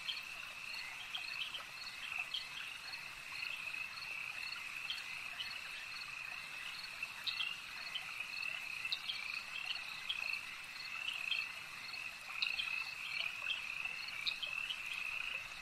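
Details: A lake frog chorus runs without pause, bright high croaks stacked over a shimmering trill, some louder bursts near the end, background noise soft and constant.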